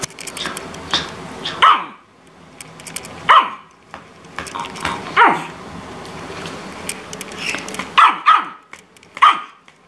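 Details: A Chihuahua indoors gives six sharp, high-pitched yapping barks, spaced one to two seconds apart, while barking at and chasing another Chihuahua for no clear reason; a green-cheeked parakeet joins in.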